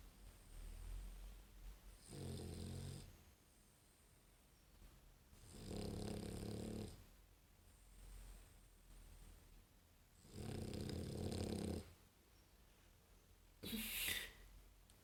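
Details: Female English Bulldog born in December 2015 snoring with eyes open: four loud, throaty, rattling snores roughly every four seconds, low rumble with breathy hiss above, quiet breathing between.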